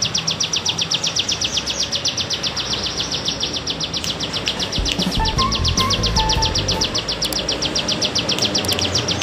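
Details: Bren cigun cicada, bergelombang type, used as a songbird tutor recording: a continuous run of regular rasping pulses, with low rumbling noise and a faint thin whistle in the background midway.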